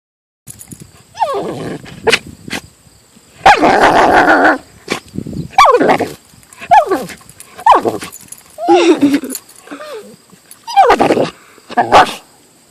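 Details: Siberian husky vocalizing at a golf club it hates, outdoors: loud bursts of woo-woo barks and yowls with wavering, bending pitch, about eight separate outbursts with short pauses, one long harsh cry near the middle.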